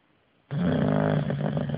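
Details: English Bulldog Bruno caught mid-snore: after brief quiet, a single loud, deep, rattling snore starts abruptly and holds to the end.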